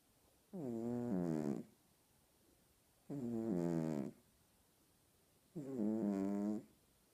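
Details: A house cat snores loudly: three long, raspy, layered snoring breaths of about one second each, spaced roughly two and a half seconds apart, with near silence between them.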